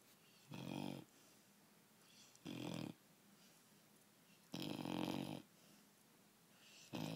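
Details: A sleeping four-month-old puppy stretched out on a bed gives loud, rattling snores about every two seconds, four heavy snores plus the start of another, each lasting about half a second.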